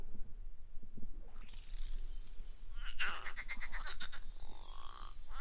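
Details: Marsh frog gives its odd, rattling call of low, rapid croaks, with some higher chirping notes over it, in reedbeds along the River Crane.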